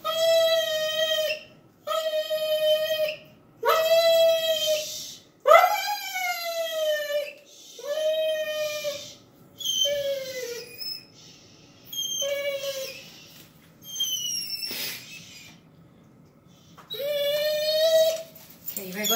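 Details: Dog named Petunia, wanting to play with Stella, gives dolphin-like squealing whines: high tonal cries, level then briefly rising or dipping, repeated about every two seconds in short bursts, with faint music and a person's voice indoors.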